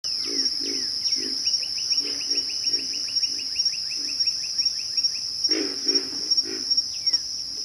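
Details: Pig frogs giving low, rough grunts in short bursts, roughly three per second, with a steady high insect whine throughout and a run of fast, higher clicking notes in the middle.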